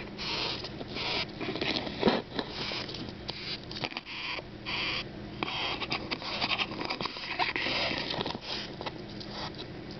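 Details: Captive bess beetle handled after being found in a park, making defensive wing-on-abdomen shrieks. Rapid hissy rasping pulses blur together, mixed with scratching and handling noise and brief quiet gaps.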